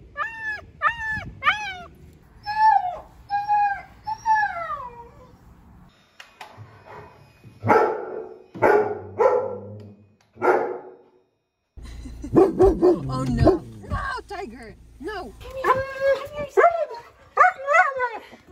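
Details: Pet German Shepherd speaking his own language: a series of short rising-and-falling whines repeated rapidly, then a few hoarse barks, followed by more wavering whines and grumbles with faint background music.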